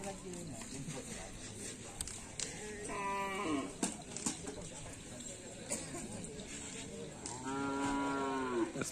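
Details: Karapan sapi racing bulls training at the Asemanis field in Madura; two drawn-out harmonic moos, the second longer and steadier, over a constant murmur of crowd voices and faint background music.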